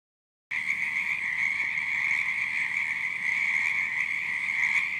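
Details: Frogs croaking at night in a dense, continuous chorus, a steady high-pitched trilling wall of sound that starts after half a second of silence and holds unbroken.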